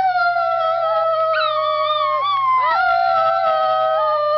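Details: Piper, a Schnauzer, gives one sustained howl that wavers gently, breaks briefly and swoops back up before settling into a steady tone.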